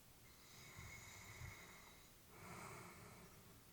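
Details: Peaceful sleeping breath of an elderly female labrador indoors: a drawn-out faintly whistled exhale, a moment's pause, then a breathy, hissing inhale with low nasal rumble.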